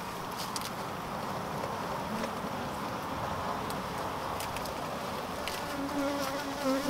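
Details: Honey bees around a keeper who received one sting: a steady dense hum fills the air, with a single bee's passing whine toward the end.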